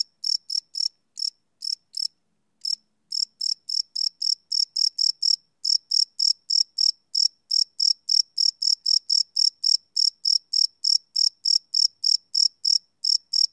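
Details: Crickets at night, recorded live with a Sony PCM D100: sharp high chirps repeating quickly, with a short pause near two seconds, then a steady unbroken run of pulses to the end.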